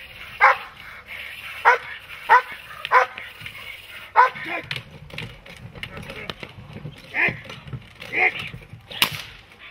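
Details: Dog in protection training, breeds such as German Shepherd and Malinois mentioned, giving sharp barks in a quick cluster in the first half, then scattered softer barks and voices over a busy outdoor background.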